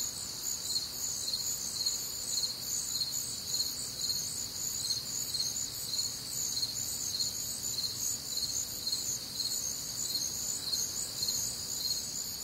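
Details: Massed cricket chirping on a warm, humid Midwestern summer night, bright high trills pulsing in quick steady beats over a continuous shimmering background of other nocturnal insects.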